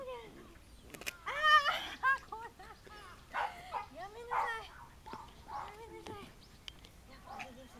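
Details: Four 68-day-old male apricot medium poodle puppies playing in an agility field give a rapid series of high, squeaky yelps and whines that rise and fall in pitch.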